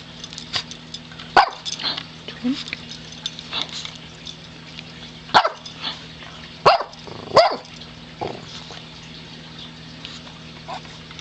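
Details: Pet dog Mazi growls while begging for treats, giving brief rough vocal bursts at uneven intervals, clustered in pairs toward the second half, with a constant low electrical hum underneath.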